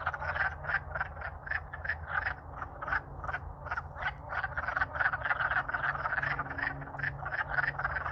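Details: Loud singing of many wood frogs courting in Alaska in spring after the thaw; quick chuckling croaks packed closely, repeated several times a second without pause, faint low hum underneath.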